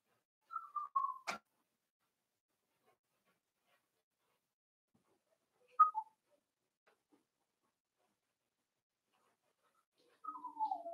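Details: Four-week-old Cavalier King Charles Spaniel puppies from Daisy's litter in their indoor pen: thin, whistled whimpers sliding downward, one near the start, a short one midway and a longer falling whine at the end, with quiet gaps between.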